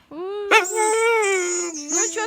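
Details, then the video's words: A village neighbour dog, one of two fed by neighbours, makes a drawn-out, steady, tonal whining 'talking' vocalization with rich harmonics, briefly breaking and wavering near the end, with no other clear sounds. "TALKING DOG SAYS "I CAN'T" and "IT'S COLD" watch till the end! || Burping dog"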